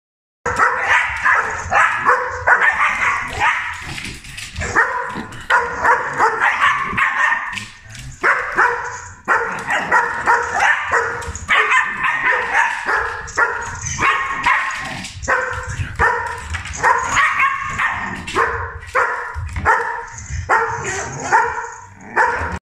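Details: A miniature dachshund and a standard poodle bark while watching videos of other dogs on TV. The barking is loud, rapid and almost continuous, with overlapping yaps and bow-wows throughout and hardly any pause.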